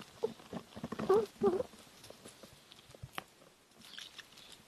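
A young squirrel eating, with quick wet clicks and crunches and a few soft, thin squeaks.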